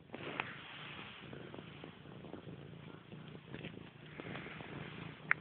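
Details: Grey, a pet cat, purring steadily and close up: a low, even rumble with faint rustling and a few soft clicks. A sharp tap sounds near the end.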